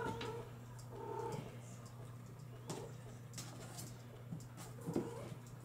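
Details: Young Bengal kittens, from litters born in July 2022, mew in brief, clear, slightly wavering calls, three of them, amid light rustling, clicks and a constant low hum indoors.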